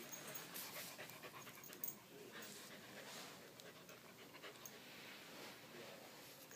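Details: Candy, a pet dog frightened after the fire alarm chirped for a battery change, pants quickly indoors while being calmed; soft rapid breathy huffs run steadily through the clip with faint low household background.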